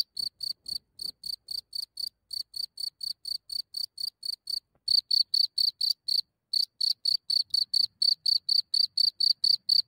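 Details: Night-time cricket just out of its hole, heard from a few centimetres in Germany: rapid shrill chirps in regular runs, softer at first then louder, broken by two short pauses, with faint low rustling underneath.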